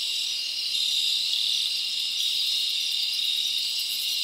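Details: Many crickets trilling together at night in a summer forest, a constant high, ringing buzz that thickens slightly after the first second and then holds steady.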